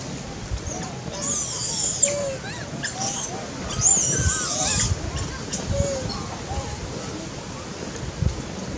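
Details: A baby monkey cries loudly when a big monkey plucks it up in a threat while it eats; several seconds of high, harsh screaming, then quieter chirps against a low background rumble.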